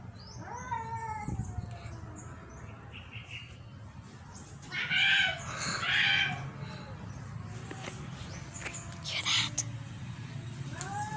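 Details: Domestic cat making a funny noise: a short tonal, wavering meow near the start, then loud harsh, raspy bursts around five and six seconds and another near nine seconds, over a steady low background hum.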